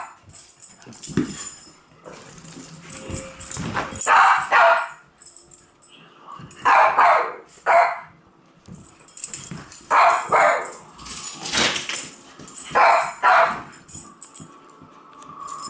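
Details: Several dogs bark and yip while chasing a laser, irregular clusters of sharp barks with whimpering notes and scuffling noises in between, one brief steady tone near the end.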